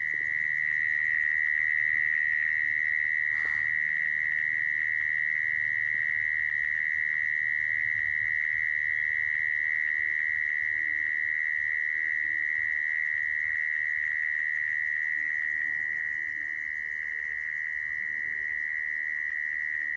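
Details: A mole cricket gives a steady, unbroken, high buzzing trill at one pitch; this sound is used to trap crickets.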